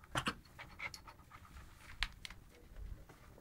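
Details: Tipu, a German Shepherd puppy, gives short breathy panting puffs in scattered bursts, the strongest near the start and around two seconds, against a quiet background.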